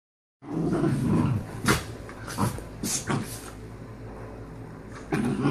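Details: Two dogs, Vega and Diego, argue over a sleeping spot in a bed: low rumbling growls in the first second and again near the end, with a few sharp knocks and rustles between.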